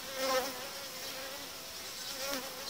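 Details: Honey bees crowded in a hive being merged with another colony, dividers pulled out after about five days; a droning hum with clear stacked pitched tones that swell briefly near the start and again near the end.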